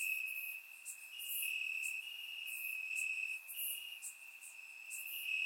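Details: Night chorus of crickets in the grass during a warm Bulgarian summer night, surround-microphone recording; one constant shrill tone runs beneath irregular sharper chirp bursts from neighbouring insects.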